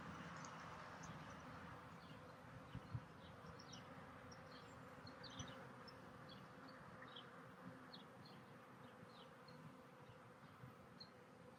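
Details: Steady, droning hum from a honey bee colony at an open hive made from a split, just after a new queen was released from her cage and flew out; faint ticks and rustles sit over the continuous buzz.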